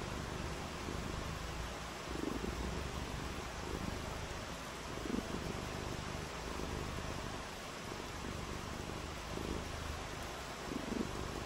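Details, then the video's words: House cat on a rainy day gives a low, even purr throughout, softly pulsing, with faint brief sounds every few seconds over a steady background hiss. "RAINY DAY WITH FUN AND PURRING"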